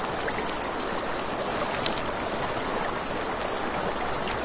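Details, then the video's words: Night crickets beside a river give a fast pulsing high trill with a brief break near the middle, while a campfire crackles and the river rushes steadily underneath. "Crackling Fire, Crickets, Ambient Nature Sounds"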